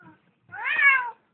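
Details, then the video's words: Domestic cat held by a person against its will indoors, giving one drawn-out, rising-then-falling meow of about two-thirds of a second after a short pause. "Funny cat sounds"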